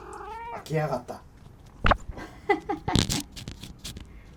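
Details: Talkative domestic cat gives two quick wavering meows at the start, then a person talks over knocks, rustles and clattering sounds in a room.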